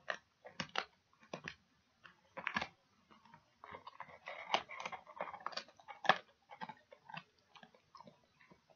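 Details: Dog chewing pig ears indoors, a run of crunchy, wet bites and gnawing bursts in uneven clusters, some fast and clustered, with short quiet gaps between them in a small quiet room.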